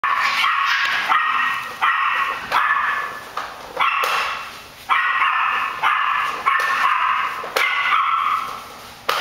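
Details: Several puppies playing together at a puppy facility in Sarasota, Florida, giving repeated high, sharp yapping barks in quick overlapping bursts, about one every second, with a steady faint high hiss behind them.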